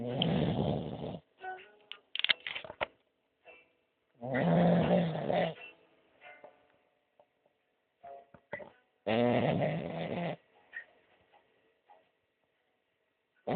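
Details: Sleeping French bulldog snoring heavily, long raspy breaths roughly every four to five seconds, separated by quiet pauses with faint clicks and a man's voice talking to the dog.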